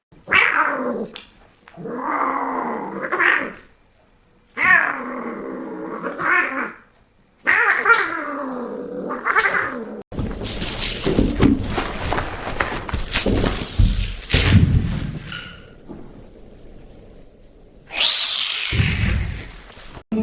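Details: Domestic cat giving long, drawn-out wavering yowls in four drawn calls of about two seconds each, rising and falling in pitch with growly undertones, followed by a burst of scuffling noise and a final short rising cry.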